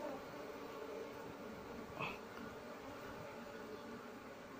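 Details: Asian honey bee (Apis cerana) colony nesting inside an active speaker, harvested for honey and moved; its queen could not be found. A steady, low, droning buzz runs throughout, with one brief brighter knock near the middle.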